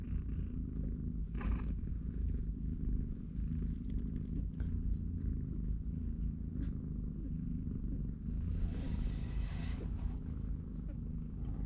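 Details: Continuous deep purring rumble from a mother cat and her three-week-old kittens at play and between naps, with scattered rustling and soft noise bursts near the end.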